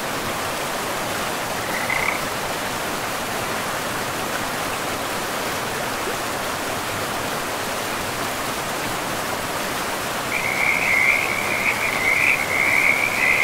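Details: Near a river in pristine forest, one brief high frog call, then a long quiet stretch of rushing water before a loud, rapid pulsed trill begins and continues to the end.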